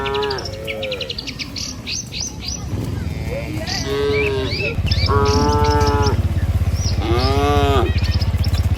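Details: Dozens of tame cattle herded across a river bridge toward a village on a morning walk to pasture, lowing in three drawn-out harmonic moos, with bird chirps and a steady low rumble of footsteps and motion beneath.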